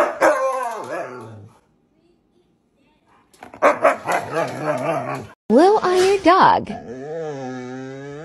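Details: A male Siberian Husky playing with his owner at home: drawn-out, wavering howl-like vocal phrases that rise and fall. They come in two bursts with a silent gap, mixed with a man's speech and background music.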